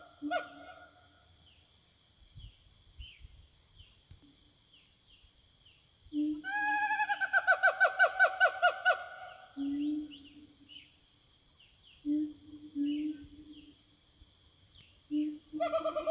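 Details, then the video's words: Siamangs in the forest answering each other: short low booms, then a brief chorus of quick rising yelps, then more booms and a final burst, with a continuous high insect whine. "Suara Siamang Hutan"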